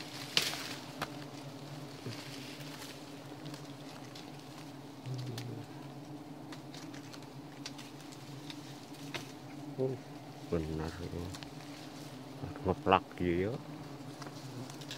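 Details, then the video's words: Giant honey bees (Apis dorsata) disturbed during a honey hunt: a steady, low droning hum runs through the whole stretch, overlaid by brief human voices, sharp knocks and short shouts toward the end. "Berburu madu odeng 65 / Giant honey bee (Apis Dorsata)"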